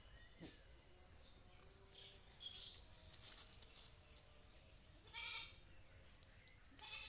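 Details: A goat gives a short, harmonic bleat just past the five-second mark, and a second bleat begins at the very end. Both sound over a steady high hiss, with faint chirps and rural background noise.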